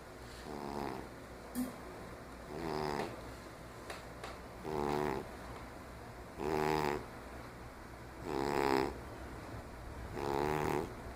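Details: Fifteen-year-old diabetic domestic cat snoring while asleep indoors; six buzzy, harmonic snores, each about a second long, come roughly every two seconds in an even rhythm, with small clicks and quiet breathing between them.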